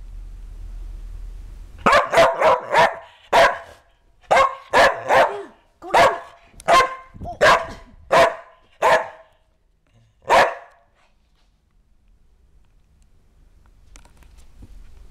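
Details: Kerry Blue Terrier named Ronan, right after a bath, barking in a quick run of about fourteen sharp, mid-pitched barks over eight seconds, some in fast pairs and triplets, then falling quiet with faint room noise.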